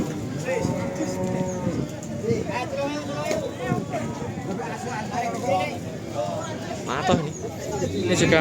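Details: Simmental cattle, described as pure Australian stock, at the Pasar Sapi Kerek cattle market in Tuban, East Java: a low, drawn-out moo with layered harmonics early on, set against steady crowd chatter and general market bustle.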